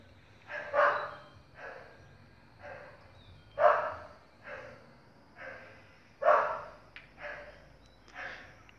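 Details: Male American Bully from Oaxaca Bullys kennel, 8-R, barking: deep, forceful barks in loose bursts, about one every second, with two louder peaks near the fourth and sixth seconds; a faint steady background hum throughout.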